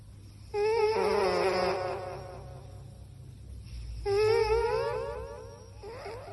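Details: Domestic cat asleep and snoring: two long, wavering, whistly breaths about three and a half seconds apart, each tonal with a trembling pitch, over a steady low indoor hum.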